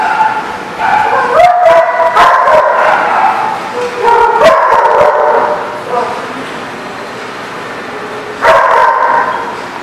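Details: Dogs recorded on 30 July 2016 at a place called The Barking Lot, giving loud, rapid yipping barks and whining cries in overlapping bursts, with a brief pause near the end before another burst.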